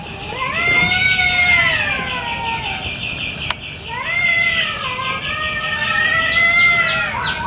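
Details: Free-roaming village cats fighting over territory in a garden one morning: three long, wailing yowls with rich harmonics, each rising then sagging, separated by short pauses, with one sharp click midway and faint chirping behind.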